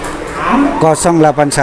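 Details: Cattle at a livestock market in Boyolali, Indonesia, a child leading a cow; a low, steady harmonic moo holds and then rises slightly in pitch, with nearby people talking.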